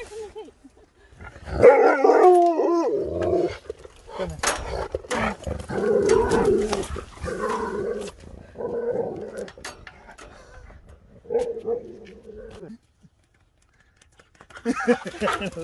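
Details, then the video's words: Husky waking up happy and shocked at a surprise after sleeping through a journey: excited whines and warbling howl-like vocalisations in bursts, some rising and falling, with pauses between and brief quieter moments near the end. "Husky wakes up to the Best Surprise Ever!"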